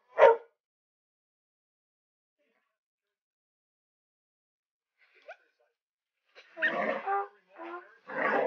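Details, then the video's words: Dog worked up over an alligator head: one sharp bark, a long quiet gap, then a burst of rough growling barks toward the end. "Tucker barking at an alligator head"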